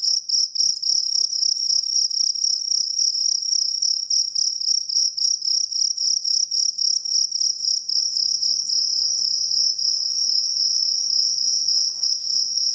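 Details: Kalung cricket, a popular kept singing cricket: loud, continuous high-pitched chirping with a strong steady tone and a fainter upper band, pulsed in rapid trills of about 222 repeats a minute, with faint tapping underneath.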